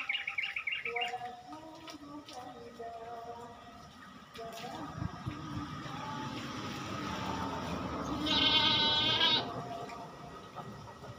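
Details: Goat on a farm during a fortnightly routine chore, with human voices and handling noise throughout, several quieter bleats early on and one strong wavering bleat near the end.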